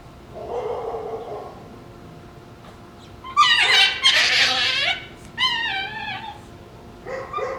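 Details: Two Shiba Inu puppies playing over a bone let out shrill, harsh, fox-like screams and sliding, wavering yelps in quick bursts.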